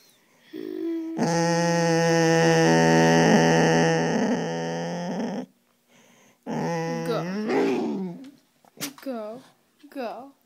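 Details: A five-year-old male soft coated wheaten terrier growls indoors at his owner, and he wags when the owner walks away. A sustained, steady growl lasts about four seconds, followed by a person talking.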